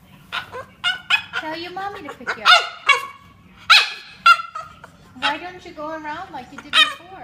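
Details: French Bulldog making funny noises: a run of short, grumbling and whining vocal bursts with wavering, sliding pitch, some rising and falling glides, separated by brief pauses.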